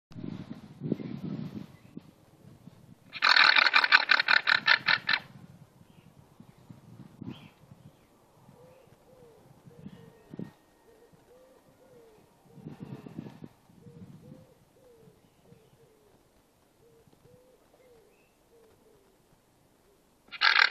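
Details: A llama, apparently still unhappy with jazz music, gives a loud, rasping, pulsed blare. Then come quiet, repeated nasal hums, each a short rise and fall about a second apart, with low rustling thumps between.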